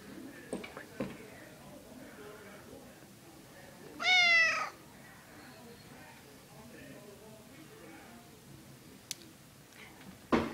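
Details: Male domestic cat that bites when petted too long, giving a single short, rising-then-falling meow midway through, otherwise quiet indoors with faint rustling and soft clicks.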